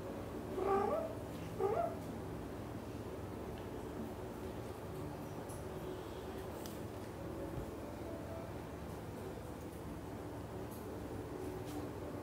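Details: British Shorthair kitten waiting to nap with other cats in a shared nest, giving two short, thin rising meows in the first two seconds, followed by a long stretch of steady low background hum.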